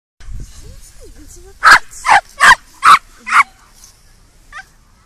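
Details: Eight-month-old Welsh Terrier, a dog that almost never barks, barking out of sudden fear, possibly from pain, tail between his legs: five sharp barks in quick succession about half a second apart, then quiet.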